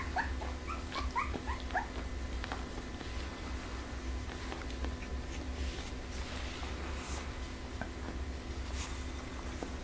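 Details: Litter A of Pembroke Welsh Corgi puppies from Image Čičiko x Danny Toivu My Delight. High, short squeaky whimpers come in a quick cluster during the first two seconds, then fade to soft indoor rustling and low background hum.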